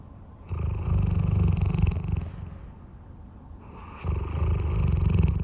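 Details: Napping big dog Roy snoring: two long, rough, low rumbles, each lasting around one and a half seconds, with a quiet breath between them.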